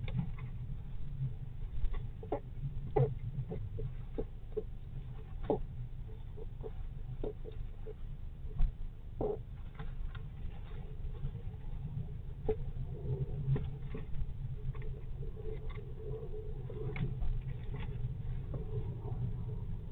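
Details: Young squirrels play fighting inside their nest while their mother is out foraging, not yet bold enough to leave; steady scratching, tapping and rustling clicks over a low muffled hum, with a few faint, short squeaky notes.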